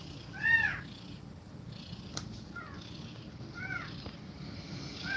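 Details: Cat mother feeding kittens milk and breathing fast; one soft arched mew early on, then fainter, lower mews later against a steady background hum.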